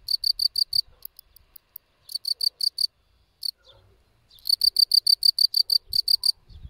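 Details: Field cricket, Gryllus campestris, chirping in high, bright pulses delivered in quick bursts of four to six, with short pauses between groups and faint low thumps underneath.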